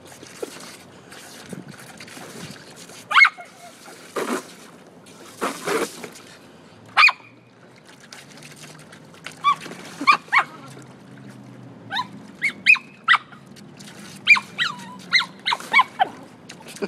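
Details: Toy Fox Terrier playing with a garden hose in a swimming pool, giving scattered sharp high yips and short barks, bunching into quick runs toward the end, over a steady hiss of water.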